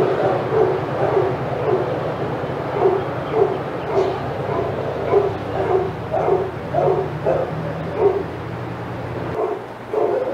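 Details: Senior dogs at Old Friends Senior Dog Sanctuary's outside yard go crazy as another dog, Titus, passes; steady run of mid-pitched barks repeating almost twice a second, several dogs overlapping, with a low mechanical hum underneath.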